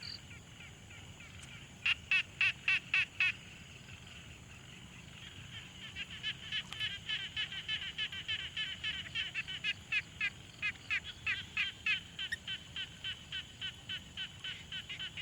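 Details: Frogs calling at a quiet pond, Tascam Portacapture X6 field recording: a brief burst of sharp pulsed notes, a pause, then a sustained chorus of fast repeated rattling calls from several animals.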